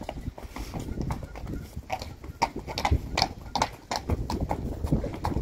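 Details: Friesian mares moving as a group of six: irregular, dull hoof thuds and clops spread through the clip, with some louder knocks and a faint voice in the background.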